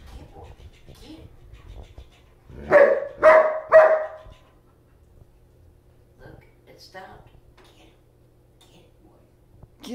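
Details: German Shepherd dog playing with a floppy fish toy gives three loud barks in quick succession, followed by quiet stretches with soft rustling and a man starting to speak.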